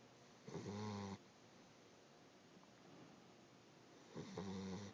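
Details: Boxer/pitbull mix puppy snoring quite loudly while asleep; two long rasping snores with strong low buzzing harmonics, each lasting under a second, about three and a half seconds apart, in a quiet indoor room.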